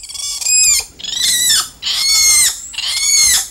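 A spider monkey gives four high, harmonic squealing calls, each under a second long and about one per second, slightly rising then falling.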